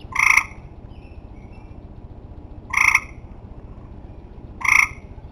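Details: Tree frogs calling at the end of summer: three loud, harsh, nasal honks, each about a third of a second long, spaced roughly two seconds apart, over a steady low rumble of background noise.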